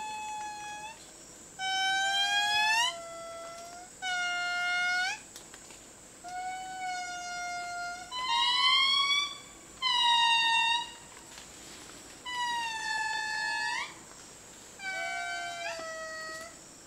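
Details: At dawn in Madagascar's foggy rainforest, a family group of indris, the largest living lemurs, wail in long, sliding, harmonic notes, a territorial call answering others and proclaiming their patch of forest.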